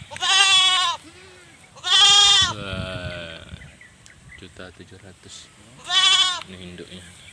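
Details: Goats, a yellow male and a black female, bleating on a morning when they were sold in a village on Simeulue island, Aceh, Indonesia, 2023; three loud harmonic wavering bleats about two seconds apart, with background music and rustling.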